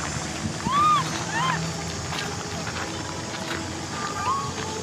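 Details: Cola, an orphaned baby macaque, crying because she wants to ride a bike; three short arched tonal cries that rise and fall, two close together early and one near the end, over steady background hum and noise.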